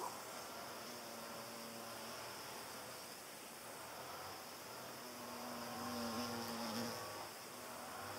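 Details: A hornet chasing butterflies away makes a low, wavering wing buzz that passes by twice over a steady background hiss.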